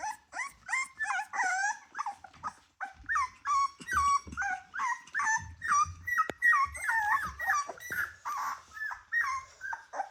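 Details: Ten Rottweiler puppies aged 24 days, kept together as a litter; loud, continuous chorus of high, wavering whines and yelps, bending up and down in pitch, pulsing roughly twice per second with a sharp click midway.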